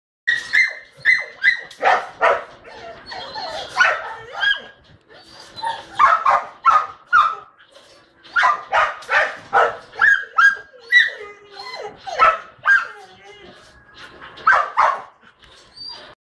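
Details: Eight-month-old Belgian Malinois, recorded 13 August 2011, giving a long run of sharp, high barks and yips in quick bursts of several each, separated by short pauses, with no other clear sounds.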